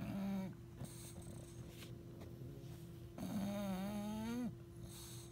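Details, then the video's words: Sleeping bulldog snoring on a couch beside a pug: long, loud, low droning breaths with a wavering tonal whine, one near the start and a longer rising one after a pause, over a steady hum. "snoring Bulldog"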